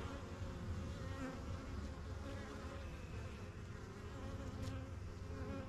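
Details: Crowd of honey bees at the entrance of a backyard yellow hive, the colony's strongest, getting used to the area; a steady deep droning hum with individual buzzes weaving in and out.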